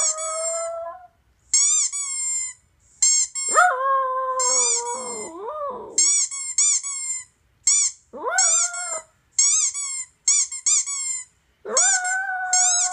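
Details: Pet toy poodle howling indoors in response to squeaky toy sounds played from a laptop. Several drawn-out, wavering howls, one long and sliding downward, are set among repeated bursts of shrill, rapid squeaking that fill most of the recording.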